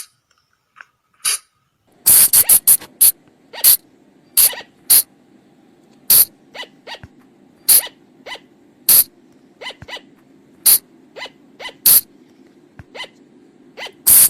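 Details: Flying lemur lure call for night use: after a quiet start with a few faint notes, a steady stream of loud rasping bursts at irregular intervals of about half a second to a second, over a constant low hum.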